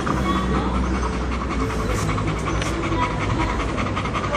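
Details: Pet Bull Terrier panting on a Saturday while looking for a place to rest: quick, rhythmic breaths in steady short bursts over a dense, noisy indoor background.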